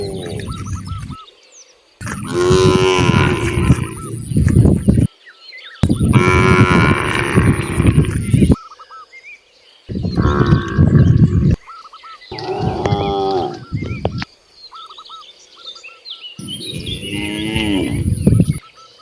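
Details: Cattle roaming freely outdoors produce loud, rough moos in bursts of two to three seconds, separated by near-silent breaks, with faint bird chirps between them.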